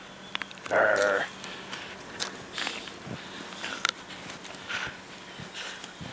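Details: Siberian Husky playing with a stick in snow after the 2016 blizzard; a short loud harmonic whine-like vocal near one second, then footsteps crunching in snow and a person's encouraging voice.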